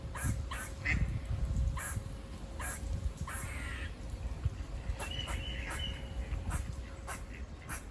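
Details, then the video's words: Squirrels near a farm give short, buzzy, broadband barks in an irregular string, some doubled. A brief tonal whistle sits in the middle, over a low, steady rumble of background noise. "Squirrel barking calls// Squirrel noises// Squirrel buzzing sounds"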